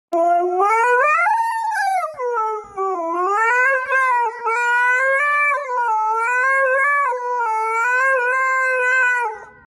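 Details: Dog howling in a long unbroken voice: a loud tonal howl that rises and falls in slow waves, swelling up then dipping around the two-second mark, then wavering on at steady pitch for nearly ten seconds.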